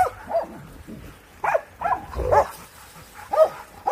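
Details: Hunting Laika barking while pursuing wild boar in a swine fever control operation; five or six loud, clipped barks, some doubled, spaced irregularly, with faint scuffling in the background.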